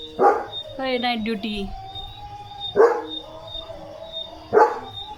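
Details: Leo, a German Shepherd Dog, barking loudly and playfully while getting soaked in the rain: sharp bursting barks roughly every two seconds, with a drawn-out falling whine-like tone early on and a faint steady tonal hum behind.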